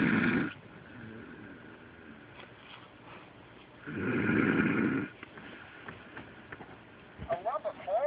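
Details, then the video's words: Pet dog named Delilah asleep, snoring as loud as a human: two broad, noisy snore bursts about three seconds apart, quiet breathing between, with a faint rustle near the end. "My Delilah Snoring"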